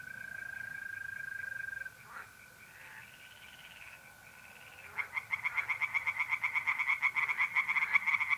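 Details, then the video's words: Mid-April night at a pond in north-east Italy: a level mole cricket trill opens, then tree frogs break into a loud, fast pulsing chorus that rises and keeps going to the end. "singing tree frogs in pond and trilling mole crickets by night"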